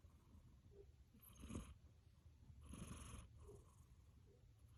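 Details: Domestic cat deeply asleep after play, snoring with two drawn-out, hissing breaths about a second and a half apart above a soft low rumbling background.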